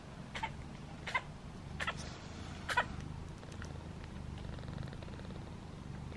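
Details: Newborn kittens, five in Piper the cat's litter, jostle for their mother's milk while nursing. Four short, high, harmonic mews sound within about two and a half seconds, then fade, over a low, steady purring rumble.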